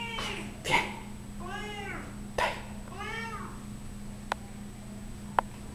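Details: Fourteen-year-old female Siamese cat, described as loud, rolling over to show her belly; two long, wavering, rising-then-falling meows about a second apart, with sharp clicks and knocks and a constant low hum.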